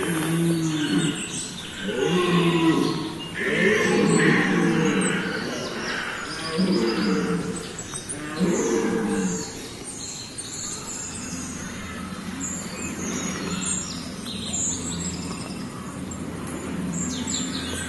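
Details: Red deer stags bellowing during the 2017 rut at Parc de Sainte-Croix in Lorraine, France; deep, hoarse roars repeat for about ten seconds, then fade into a steady background hum.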